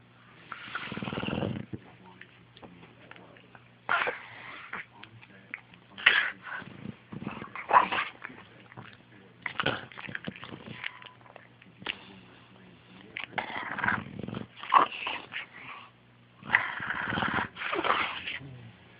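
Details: An English Bulldog sleeping in the morning snores in rough, snorting bursts every two to three seconds.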